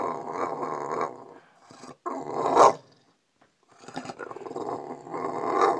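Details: A bulldog rousing its owner from sleep gives low, rasping, grumbling growls in sustained bouts, with one sharper harsh burst and a short silent gap between them.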